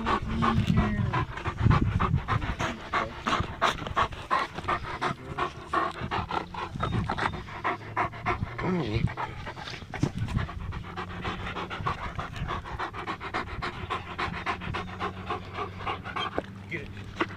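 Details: Rapid, steady panting from German Shepherds Nyah and Yogi, two pet dogs out on a beautiful day, with breathy rasps repeating about three times a second and a low hum beneath.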